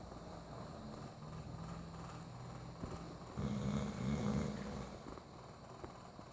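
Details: Sleeping bulldog snoring: low, buzzy rattling snores in two stretches, the second one louder, with a steady background rumble.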